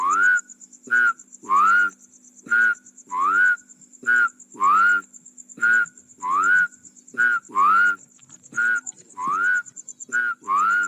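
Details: Rice field frog calling in a steady series of short notes, each a whistled upward-sliding tone above a lower buzzy harmonic stack, about one note every second, with a faint high continuous ringing behind.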